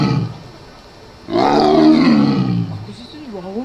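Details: A Siberian (Amur) tiger about one year old, born 2016, at Asahiyama Zoo, Japan, gives a deep, harsh roar that swells and then fades, recorded 12 November 2017.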